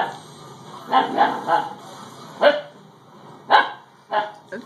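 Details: Dakota, a young female Siberian Husky, barking at a doorstopper as if it might attack her; a quick run of three yappy barks, then single sharp barks spaced about a second apart, with faint human voices underneath.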